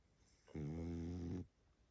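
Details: One drawn-out, rattling snore from Barney the pug, sleeping and tired, a steady low harmonic drone of almost a second that stops abruptly, then near-silence indoors.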